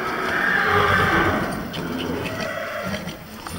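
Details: Horses among pregnant broodmares and mares with foals at foot; a faint, wavering whinny early on, fading into background rustling and low rumbling, with soft knocks later.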